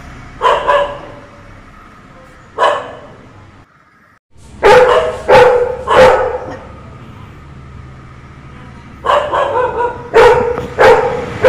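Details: A Labrador Retriever, one of two dogs, barks at a peacock visiting the neighbour's house to attract peahens, giving sharp, broad barks singly and in quick pairs and triplets, with a low hum between bursts.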